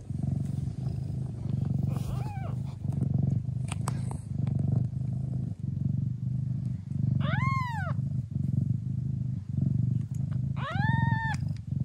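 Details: A Traditional (Thai) Siamese mother cat in the Netherlands purrs hard in a deep, steady, rumbling rhythm while nursing her hungry kittens, which give a few high mews.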